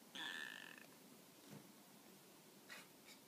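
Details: While lying down, the Tonkinese cat Peko replies to being called with a bright, tonal meow lasting under a second. Soft thumps and rustles from movement follow in an otherwise quiet indoor room.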